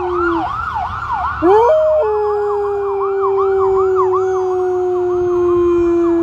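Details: Recorded October 13, 2020 in Marinette, Wisconsin, USA: Luna, a dog, howls along with a siren. Her voice briefly rises, then settles into a sustained, slowly falling note under the loud, fast-cycling electronic yelp.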